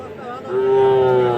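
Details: Sahiwal bull calves at Aftabganj cattle market, Dinajpur, Bangladesh, on 7 July 2026: one steady, sustained, level-pitched moo swells in about halfway through and holds to the end, over a background of market chatter.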